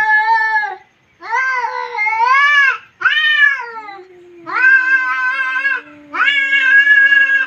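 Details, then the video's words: Cat fight with loud, strained yowls in five bursts, each a rich arched wail, separated by brief pauses, with a long low moan sinking steadily underneath the later cries. "CAT FIGHT"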